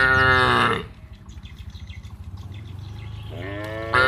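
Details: Cattle moving down to paddy fields in a village, mooing to call the herd: a loud moo opens, then a quiet gap with a low hum, and a second moo begins near the end.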